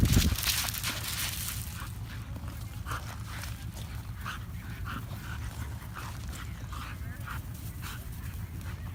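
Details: A female Norwegian Elkhound playing wildly with another dog at a dog park in White Rock, BC, Canada, gives rough, rapid, growly grunts and whines over a low rumble.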